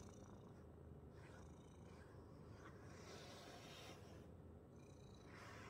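A domestic cat purrs in a low, steady rumble, with soft brushing strokes sweeping over it.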